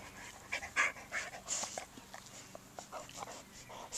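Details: Welsh Springer Spaniel, a male nearly four years old, playing with toys in a garden; quick, soft, breathy panting in short irregular bursts against background hiss.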